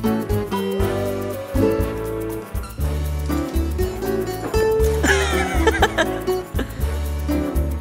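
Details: Lively instrumental music with brief speech and laughter, and no animal voice.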